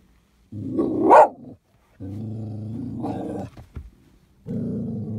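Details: Irish Terrier at a car wash, growling in three loud, rough, sustained bursts separated by short pauses, the first rising into a harsher snarl.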